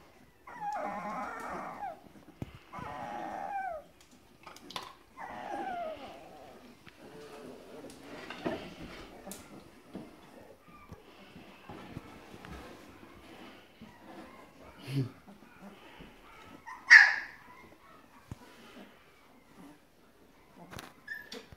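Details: Grand Basset Griffon Vendéen puppies of the O-litter, recorded 30 November 2015, giving thin high whimpers and whines in short bursts over the first few seconds, then quieter scattered squeaks, rustling and handling noises.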